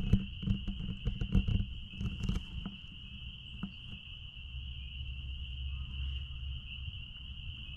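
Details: Out back at a blueberry farm, many spring peepers form a constant piercing high chorus; clattering knocks and rustling sound during the first seconds, then the steady ringing continues over a low hum.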